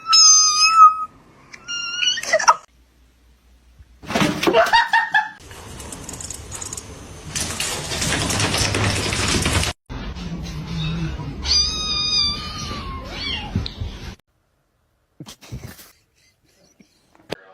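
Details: Domestic cat giving high, wavering harmonic meows, a short pair at the start and a longer drawn-out bout near the end, separated by bursts of broadband rustling and clatter indoors; a voice asks where the catnip is.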